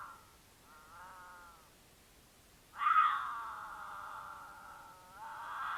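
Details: Utah mountain lions in courtship, the female in heat caterwauling to attract the male, recorded by a camera on their path; a soft short wail, then a loud abrupt, long, harsh yowl that fades and rises again.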